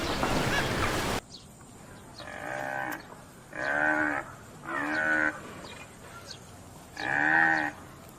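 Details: Farm buffalo lowing in a series of four short, nasal moos, each under a second, spaced one to two seconds apart after a brief burst of rushing noise at the start.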